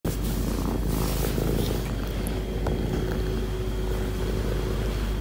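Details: Soso, a very friendly cat, purring while demanding attention on a lap; a steady low rumbling purr runs throughout, with a faint mechanical hum in the background.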